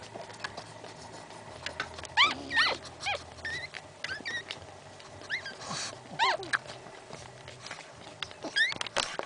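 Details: Three newborn male Pekingese puppies whining: short, squeaky, upward-sweeping cries in quick irregular bursts, with some snuffling and rustling between calls.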